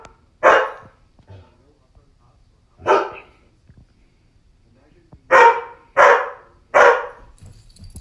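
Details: Frightened Old English Sheepdog reacting to a Chucky doll, giving five sharp, loud barks: two spaced singles, then a quick run of three about half a second to a second apart.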